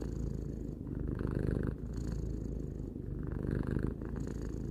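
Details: Purring of a domestic cat aged three: a low, grainy vibrating hum, with a brief dip in loudness between each breath and a slightly brighter buzz on alternate phases.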